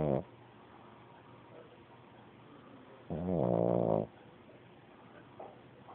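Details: Snoring pug puppy in deep sleep: one full buzzy, rattling snore near a second long, with the tail of another at the start and faint soft breaths between.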